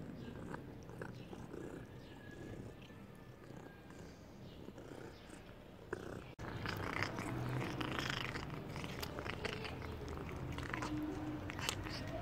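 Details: Domestic cat snatching a piece of meat from a person's hand indoors, giving a low, steady rumbling purr with fast pulsing texture, growing louder and busier after about six seconds amid handling noises.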